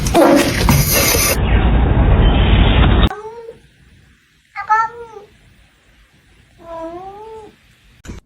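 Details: Pet cat in a comedic cat compilation: after several seconds of loud rushing noise, two separate plaintive meows, each bending upward then down, with quiet pauses between them.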